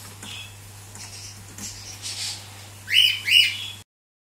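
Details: Male Cavalier King Charles Spaniel puppy asserting himself over the female littermates in their cage; quiet whimpering builds to two piercing upward-sweeping yelps in quick succession before the sound cuts off.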